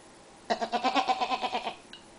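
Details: Young goat Cuddles or Puddles, one of two kids in color coordinated sweaters, gives a long wavering bleat with quick regular pulses for about a second and a half, followed by a faint short squeak.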